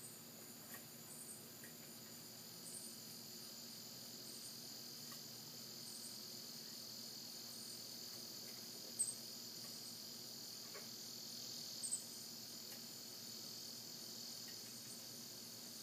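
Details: Cicadas starting up in the background while birds are filmed at a feeder, a hummingbird also present: a faint, steady, high-pitched buzzing drone holds through the whole stretch, with a few soft ticks over it.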